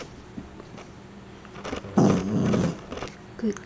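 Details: Female puppy learning to growl on command: after quiet room noise, one loud, low, grating growl lasting under a second, followed by a brief softer growl, between a trainer's spoken commands and praise.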